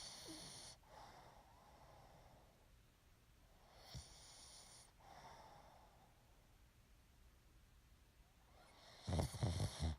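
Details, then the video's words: Pet pug asleep indoors, snoring and breathing heavily. Rasping, wheezy snores come every three to four seconds with quiet pauses between them. A louder snorting burst closes the sequence. "Snoring Pug"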